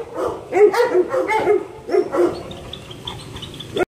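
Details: Energetic male Labrador Retriever up for adoption gives a quick run of short, tonal yelping barks and whimpers, about six in two seconds, then a fainter high whine trailing off.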